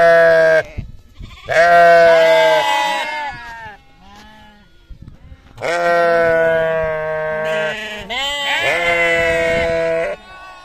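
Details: Farm sheep or lamb giving repeated drawn-out bleats, steady harmonic baas of one to two seconds with wavering endings, separated by quiet gaps and fainter calls.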